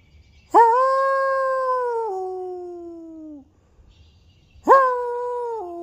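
A coyote gives long, smooth howls that hold steady, then drop to a lower pitch before fading.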